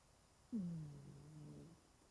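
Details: A single drawn-out snore from Genki, a 20-year-old cat sleeping deeply curled into a ball: a low, slightly descending nasal tone lasting just over a second, then quiet.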